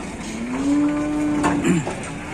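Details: A bull among fighting cattle at an Indonesian livestock market gives one long, even, droning moo lasting over a second, ending in a short broken grunt, with people and bustle behind.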